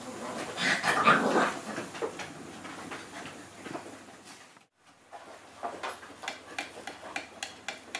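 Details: Six-week-old Frenchie x wolf cross pups playing at home, with a burst of harsh yelping and growly squeals near the start, then a short silence and rapid, regular clicking and tapping of paws and toys.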